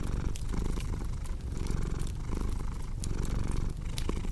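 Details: Cat's purr forms a low, pulsing drone with regular breath-paced surges, while a crackling fire beside it supplies bright clicks and pops above the rumble.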